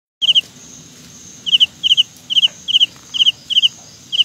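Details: Carolina ground cricket producing high, sharp chirps in tight clusters of two or three pulses, repeated irregularly about once every half second over a faint steady high hum.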